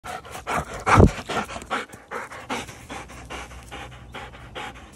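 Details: Doberman Pinscher female playing with a ball, panting rapidly and rhythmically in short breathy puffs, with one louder burst near the first second and then a steady, gradually softer pace.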